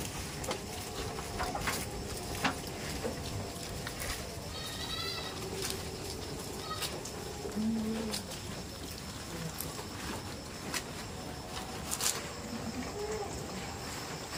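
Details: Tame farm goats bleating: a wavering, harmonic-rich bleat near the fifth second, then a shorter, lower bleat around the eighth, set against steady broadband background noise and scattered sharp clicks.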